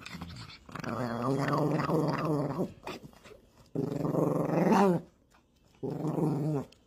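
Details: Chihuahua indoors, growling in three long sustained bouts separated by short pauses, low rumbling with rising and falling tone, the middle bout ending in a higher whining edge.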